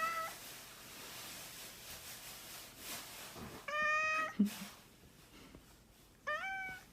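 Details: Mischievous domestic cat meowing in short bursts: a brief clipped meow at the start, then a louder drawn-out harmonic meow midway and another sharp rising meow near the end, separated by quiet indoor background with faint rustling.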